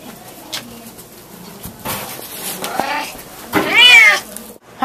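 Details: A male Bengal cat, trained to sing in harmony on command alongside another Bengal, gives a long, drawn-out meow that rises and falls after a person asks him to sing.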